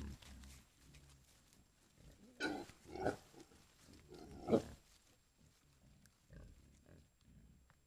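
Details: A camera trap in Foreste Casentinesi National Park, Italy, records a group of wild boar with young foraging for food, giving low, rough grunts and snuffling squeals at irregular intervals.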